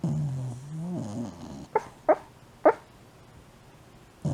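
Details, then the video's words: Shiba Inu named Mame, fast asleep, snoring and sleep talking: a low, wavering groan-like moan for under two seconds, then three short sharp yelps about half a second apart and a final burst at the end, in a quiet room. "いびきと寝言で爆睡真っただ中の柴犬まめ Shiba Inu"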